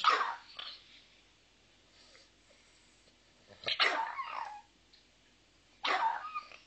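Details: Small pet dog giving three short, high, yappy barks spaced a few seconds apart, with quiet breathing between them.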